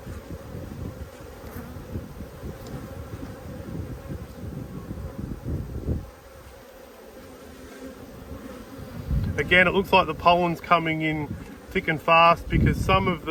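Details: Honey bees from two strong colonies, the Black and White hives, opened for inspection in Australia on 5 February 2022 during a food dearth. A dense, low, steady hum fills the first nine seconds, then a person talks over the continuing buzz.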